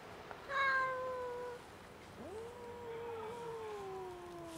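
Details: Friendly, hungry stray female cat, large and fluffy, out on the street in winter cold, utters a loud sustained meow followed by a second one that rises sharply and then trails slowly downward.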